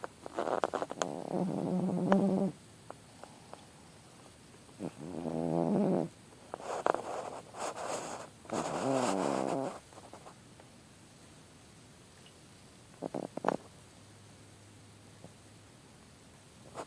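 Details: Indoor cat snoring contentedly while outside lies 90 inches of snow at -5: rhythmic bursts of low, harmonic rasping breaths about two seconds long, separated by quiet pauses, with a few soft clicks and rustles.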